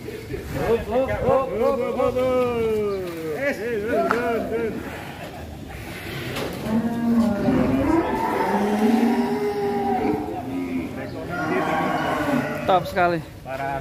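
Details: Very large fattened cow being raised for the Qurban sacrifice in Indonesia, giving drawn-out harmonic moos that first waver and fall, then a lower steady bellow midway, with men talking throughout and some vehicle noise.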